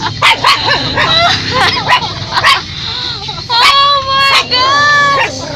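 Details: A dog barking at people gives sharp, high yipping barks, then longer drawn-out whining tones.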